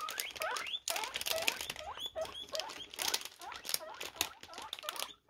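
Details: Guinea pigs hearing a plastic bag rustle give dense overlapping squeals and rising whistled wheeks, mixed with loud crackling rustle throughout.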